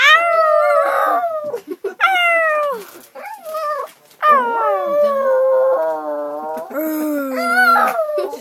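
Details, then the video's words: Dog on a train singing a series of howls, each drawn-out note falling or bending in pitch, separated by short breaks, some phrases wavering, with occasional human voices between them. "Singing dog...."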